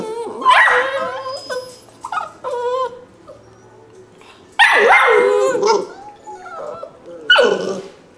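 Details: Young rescue pups, perhaps a Labrador, spaniel and beagle cross, give sharp yelping barks and drawn-out whimpers in three loud bursts. Quieter whining fills the gaps between outbursts.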